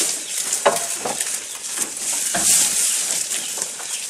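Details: Feeding goat heard up close, soft rustling with distinct crunchy bites near one, two and a half seconds, gently rising and falling in loudness.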